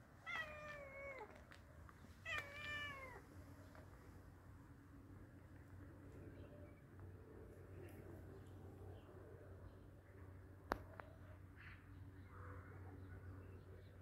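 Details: Hungry cat being fed: two clear, drawn-out meows in the first three seconds, each rising then bending down with bright harmonics, followed by a long stretch of low room hum and a single sharp click.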